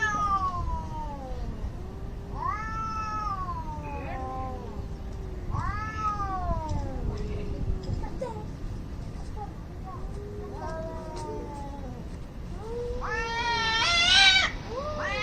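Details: Angry cats fighting, loud harmonic yowls sweeping down in pitch every few seconds, answered by a lower moaning voice, ending in a sharp rising screech.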